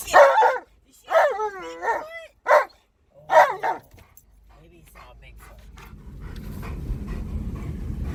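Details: Excited Alaskan Malamute in a car by a park giving a quick series of loud, bending woo-woo howls, then a man's voice and a rising rumble of engine and road noise.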